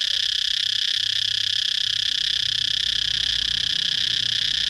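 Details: Continuous shrill cicada buzz with a constant pitch and loudness across the whole stretch. A soft low rumble sounds in the background.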